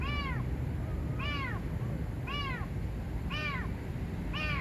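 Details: Domestic cat, possibly a stray, stuck under a car parked at a parking lot near a Red Line train station at night, crying for help; five repeated arched meows about one second apart over steady low background rumble.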